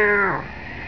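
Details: A British Blue cat named Pontius Pilate, angry at its owner, lets out one short meow: a harmonic cry that slides downward in pitch and fades within a second.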